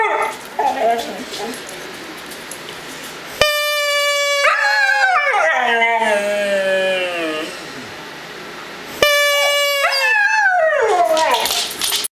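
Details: A one-year-old Siberian Husky howls in long, sliding wails that fall in pitch, answering a steady whistled tone, alongside a German Shepherd howling too.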